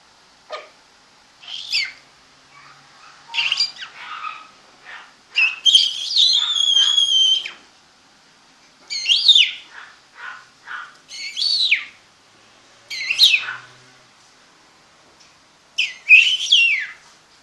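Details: Mini pocket apple-head Chihuahua puppies, home-bred in Monterrey, Nuevo León, give repeated short, piercing squeaky whimpers roughly every one to two seconds, mixed with softer muffled cries and one longer wavering whine.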